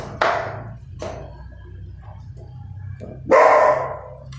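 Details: Two puppies fighting over food, one angry: harsh, noisy bark bursts, one sharp yelp at the start, a short one after, then a louder rasping bark near the end, with quiet scuffling between.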